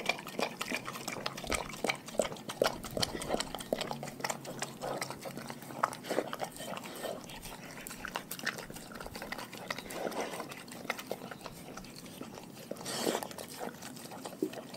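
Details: Continuous crunching and slurpy chewing from a pack of dogs on a raw food diet. Bites land in quick, irregular bursts, with a louder wet smack near the end.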